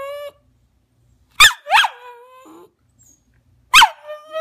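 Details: Rat terrier Maggie crying to be let onto the couch, giving two quick sharp yips that slide into a falling whine, then another yip drawn out into a thin, level whimper.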